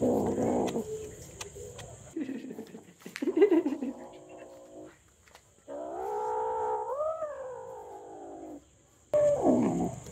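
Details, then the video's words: Hungry domestic kitten vocalising among scattered handling and mouth noises: short broken cries, then one long clear meow that swoops upward and falls near the end, followed by a brief final burst. "Cute Cat Meowing Sounds - Non Stop Meows"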